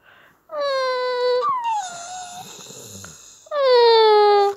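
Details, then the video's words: Staffordshire Bull Terrier making funny noises: two long, high whining wails with a slight downward drift, separated by a softer, lower moaning stretch. "Staffordshire bullterier making funny noises"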